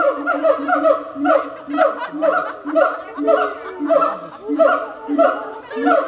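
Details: Siamangs at the Berlin Zoological Garden, a rapid series of harmonic, barking notes, each dropping slightly in pitch, repeated almost twice a second in steady pulses with a few faint lower sounds between them.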